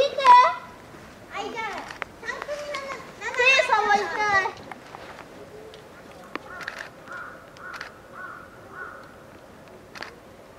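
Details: Hungry nine-month-old female polar bear cub Lila cries with her mother Lara at Maruyama Zoo, Sapporo, Japan, during a typhoon on 2 October 2015: loud rising and falling harmonic wails in quick bursts early on, then fainter sustained tones.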